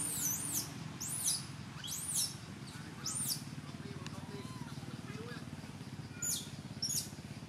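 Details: Temple monkey Jovie, Cambodia, calling its mother for milk: four loud, arched, piercing squeals about one per second, a quiet gap with soft low chatter, then two short shrill cries near the end.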